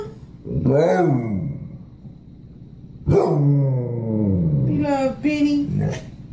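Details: Pet dog 'talking' in a home: two loud, drawn-out moaning vocalizations with stacked harmonics that rise and fall, the second longer and wavering, with a person speaking around them.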